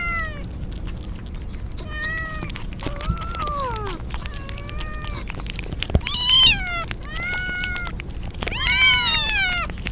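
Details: Several stray kittens cry repeatedly while soaked in rain as a typhoon approaches; high, arched harmonic meows come in quick succession, some rising and falling, over steady rain-like hiss and sharp tapping sounds.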